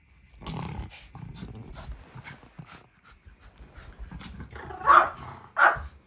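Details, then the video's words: Angry Chihuahua growling and snarling to hold back someone returning to a room, wanting to keep the daughter it loves close; low rumbling growls in bursts, then two sharper, louder snarling barks near the end. "娘を引き留めたくて部屋に戻ろうとすると激怒する犬 チワワ"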